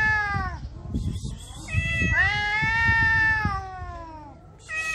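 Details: Homeless female cat in heat in Morocco calling in arousal: one falling meow, then a long sustained wailing yowl lasting over two seconds, with thumping and rustling noises underneath.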